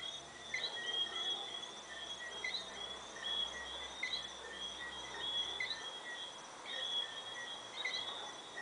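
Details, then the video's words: Introduced Bermuda tree frogs whistling at sunset in Bermuda, a loud bell-like night chorus: short high chirped whistles from several frogs recurring about every one to two seconds, over a steady high-pitched background trill. "Bermuda Tree Frogs Whistling At Sunset"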